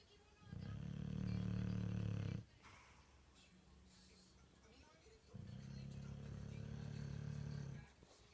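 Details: Bulldog named Gustavo snoring while deeply asleep; long, low rumbling inhaled snores of about two seconds each, separated by a quieter pause with a faint softer rumble.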